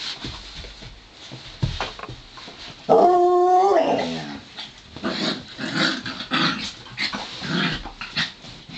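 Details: Dogs wrestling in play, Joplin the Ridgeback mix and Romeo the Pomeranian: scuffling and low grumbles, then a short loud howl of about one second with stacked harmonics, followed by more rough-and-tumble noise.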